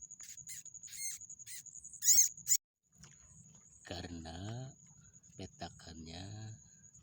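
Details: Young rats from a flooded rice field, moved up onto the paddy dike. A run of short, high, piercing squeaks fills the first seconds. After a brief gap a man speaks in Indonesian, with a constant high-pitched whine throughout.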